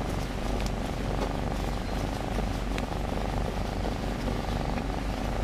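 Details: New, timid domestic cat purring steadily while cuddled, an even pulsing rumble without breaks, with faint rustling in the background.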